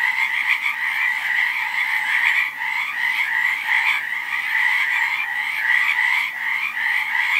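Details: A crowded frog chorus: rapid, overlapping croaks blend into a constant buzzy trill with rhythmic swells in loudness, filling the whole stretch without other noises.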